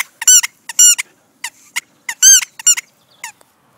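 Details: Four-month-old female Deerhound puppy, indoors, giving a series of short high squeaky whines in quick bursts with rising and falling harmonics, about eight bursts over four seconds.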